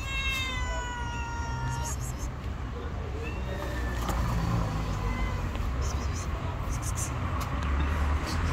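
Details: Tabby street cat living outdoors, giving a drawn-out meow with rich harmonics lasting nearly two seconds, followed by a few fainter short calls; steady low rumble of traffic and outdoor noise throughout.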